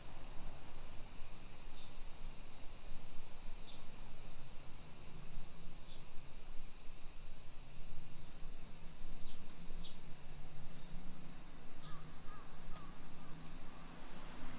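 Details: Japanese summer cicadas in a modern hillside neighborhood of Nisshin city, Aichi Prefecture, recorded at 1 PM on 28 July 2021: a loud unbroken high buzz dominates, with a low droning hum and a few faint short chirps.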